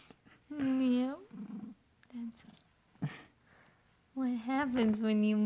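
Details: Butterscotch the pet cat making a new, odd noise indoors: drawn-out tonal cries with a rich stack of harmonics, the first sliding slightly downward, a second louder one held at the end, with people talking between.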